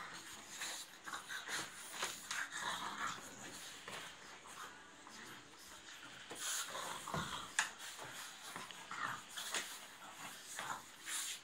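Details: Pugs at play-fight indoors, with rapid, uneven puffing snorts and wheezes coming in quick clusters, plus occasional brief whines and scraping movement noise.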